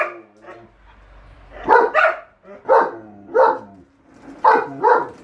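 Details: Pet German Shepherd Enzo and Siberian Husky Shira quarrel about the lawn mower: a soft low mutter, then a string of paired, hoarse woofing barks, roughly every half second, with brief quiet gaps between.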